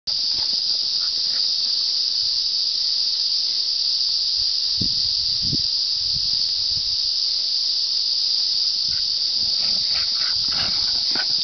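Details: Cicadas in a loud summer chorus on a highland run with a Hokkaido dog and a Saluki, early in the cool part of the day: a dense, unbroken high buzzing hiss holds steady throughout, with faint low thumps beneath.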